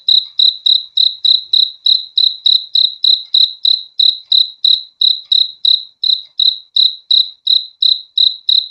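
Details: Cricket chirping steadily, a clean high pulsed chirp repeated about three times a second with an even rhythm throughout; no other sounds present.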